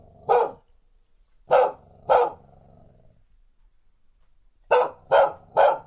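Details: Female dog barking aggressively in threat, field-recorded on a handheld recorder with windscreen: sharp barks, one alone, then two together, a pause, then three quick ones, with low growly undertones.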